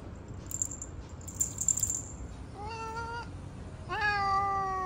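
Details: Mocha, a male cat that turns aggressive on seeing other cats, lets out two long, strained meows, the second louder and slightly rising before levelling off, after soft rustling and clicking sounds.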